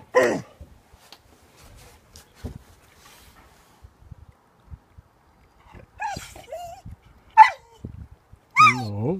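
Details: Pet dog losing patience while a cat steals from his food: short rising whines and a final drawn-out, wavering whine-bark near the end, with a woman's voice speaking and quiet pauses between.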